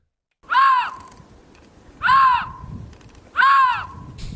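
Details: Lynx mating call, played back in a guessing game: three short, arched, yowling cries, each rising then falling, repeated about every one and a half seconds with quiet gaps between.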